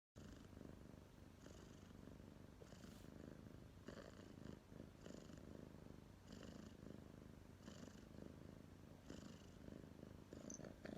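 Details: Domestic cat named Tomma purring indoors, recorded 23 October 2019: steady low rumbling purr with rhythmic breathy bursts about every one and a half seconds, continuing throughout.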